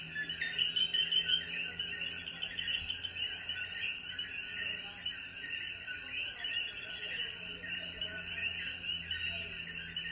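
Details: Sunset after rain in the mountains of Jayuya, Puerto Rico, with coquíes: a thick chorus of rapid overlapping chirps and a few louder close calls early on, plus a steady high insect drone and faint low hum.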